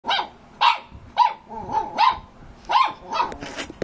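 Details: A male Shih Tzu barks at his own reflection in a run of sharp, fairly high barks, about two each second.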